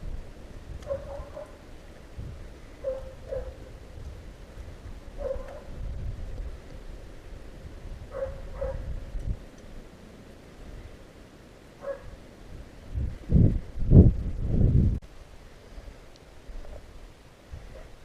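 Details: Hounds on a fox hunt in the Russian countryside, giving repeated mid-pitched baying cries in short bursts spaced a few seconds apart, with several louder, lower bays near the end and outdoor rumble beneath.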